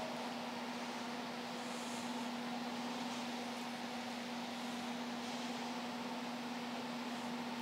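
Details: Steady mechanical drone with a constant low hum and broad hiss, like a running engine or fan, with no animal voices.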